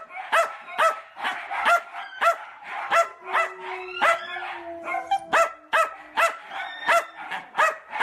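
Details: Nonstop shrill yips from a miniature dachshund playing, fast repeated barks close to two per second throughout, with a faint sustained tone in the middle.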